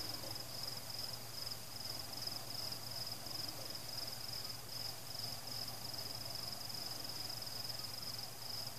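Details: Crickets at night during a fireworks celebration, with no people, pets, music or cars; a steady, high, finely pulsing trill runs unbroken throughout, over a faint low hum, with no fireworks bursts in this stretch.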